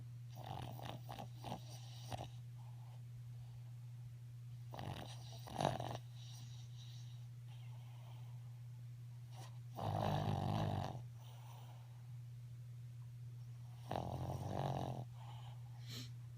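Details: A female Boston Terrier snores with her eyes open, giving harsh, snorting breaths, some short and clustered, others longer rattling bursts every few seconds, over a constant low electrical hum.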